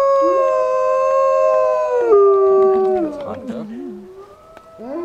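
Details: Wolves of a pack in Idaho joining a howl started by a man: several steady, overlapping howls at different pitches step gradually downward, then break into shorter wavering, sliding notes before another rising howl begins.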